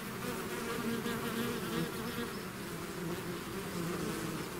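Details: Swarming bees outside their hive make a thick, unbroken buzzing drone. Many overlapping wingbeat tones hum at a steady loudness.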